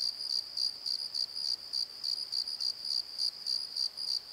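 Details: Night crickets in a valley bottom, chirping in regular high-pitched pulses roughly three per second, with a continuous shrill insect hum beneath and no other clear sounds.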